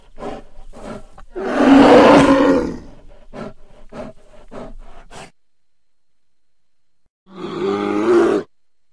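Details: Bear growling at the recordist during an encounter in the woods beside a house: scattered crackling clicks, a loud rough two-second growl, then after silence a shorter harsh growl near the end.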